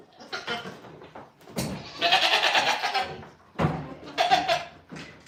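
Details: Goat at The Willful Goat Farm & Home giving a long, harsh, wavering bleat lasting over a second, followed after a short pause by a second, shorter bleat, with faint human voices in between.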